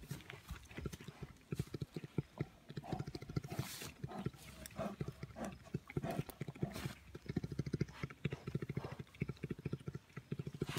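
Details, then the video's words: Bear purring while wrestling playfully with a person: a low, rapidly pulsed throbbing hum in uneven bursts, with rustling, handling noise and some faint voices. "Purring bears"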